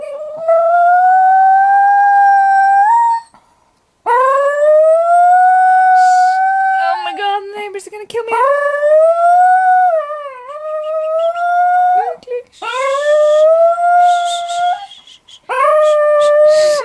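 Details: Pet dog howling and making strange noises: loud, long, rising harmonic howls held for several seconds, some wobbling and bending in pitch, repeated with short gaps, with a few noisy breathy bursts.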